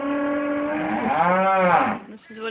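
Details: Cows in a farmyard on a farm one morning, noisy and due to go to slaughter the following week. One long, deep, strongly harmonic moo swells and bends in pitch for about two seconds before the next call begins.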